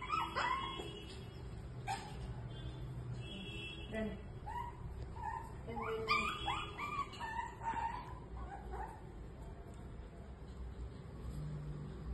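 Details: Shih Tzu puppies crying to their mother at feeding time, scattered high whimpers and short yips in uneven bursts over a steady low hum, with faint human voices in the background.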